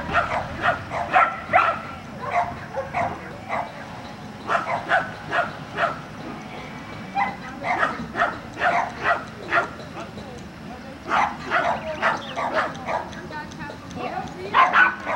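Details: Border Collie at agility training in Vale do Sol, Guapimirim: loud, sharp barks in quick bursts, with short pauses between volleys across the whole stretch.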